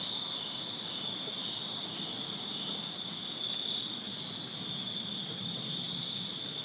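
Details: Crickets chirping in a backyard on a summer night in Virginia; a dense, unbroken high-pitched trilling chorus holds steady throughout, with a fainter higher band above it and a soft low rumble underneath.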